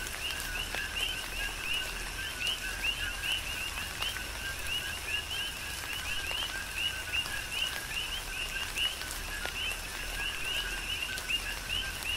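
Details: Chorus of coqui frogs on the Big Island of Hawaii during a tropical rain shower: many overlapping two-note calls, a low note then a rising whistled upsweep, repeated steadily over constant pattering rain.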